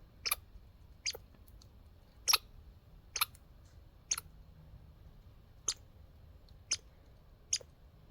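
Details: A backyard squirrel gives sharp, clicking chips about once a second, like little hiccups.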